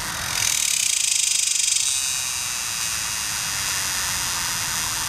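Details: A male superb dog-day cicada (Tibicen superbus) calls from a tree along the Muskogee Turnpike in Oklahoma on July 18, 2010, a loud, hissing buzz that pulses rapidly, then settles into a steady drone, with other males calling in the background.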